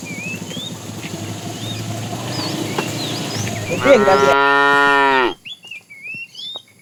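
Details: During an afternoon drive of a tame herd, a fat cow calling the female gives a single long, steady, rich moo of about a second and a half, with chirping birds before and after.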